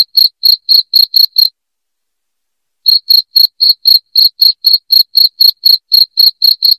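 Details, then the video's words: Loud cricket sound for chasing off rats: a run of rapid high chirps, a gap of about a second and a half of silence, then the steady four-per-second chirping resumes. "SUARA JANGKRIK NYARING PENGUSIR TIKUS"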